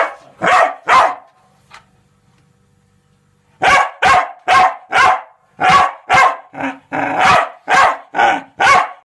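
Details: Irish Terrier giving loud, harsh barks: two opening barks, a quiet pause of about two seconds, then a rapid series of about eleven barks, some shorter and higher, roughly three per second.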